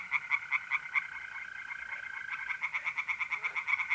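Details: Tree frogs calling from a pond by night in April, north-eastern Italy: short bursts of quick, knocking croaks, pausing briefly, then resuming in a faster steady series, against a constant mole cricket trill.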